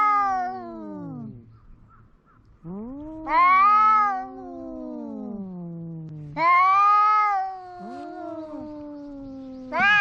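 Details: Cat calling loudly in repeated long meows, about three within ten seconds, each a loud wailing burst that slides down into a lower, drawn-out moan before the next.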